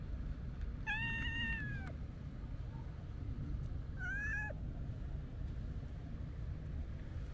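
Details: A stray calico kitten at a quiet harbor on a holiday, clinging to a walker's shoes, gives two plaintive meows. The first is long and level, the second shorter and rising then dropping, set against a low background rumble.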